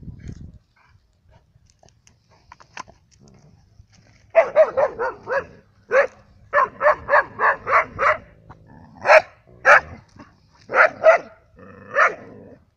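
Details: Labradors and a hunter's dog in Cyprus in winter, giving a long series of loud, evenly spaced barks after a quiet start, some barks doubled, with faint voices in the background.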